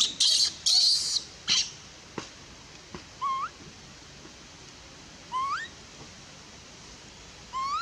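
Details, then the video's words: Rejected infant monkey near Bayon wailing while her mother refuses her milk: three loud, shrill, scratchy screeches at the start, then sparse clicks and several short upward-sliding whistled cries spaced a couple of seconds apart. "Super sad baby monkey is crying when her mom is try pushing her out for reject milk"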